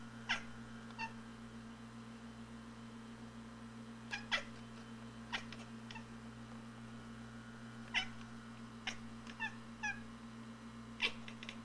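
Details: Feral cats indoors spot a robin in their yard and chatter at it through the front window: sharp, clicking chirps in short bursts scattered across the recording, separated by pauses, over a steady low room hum.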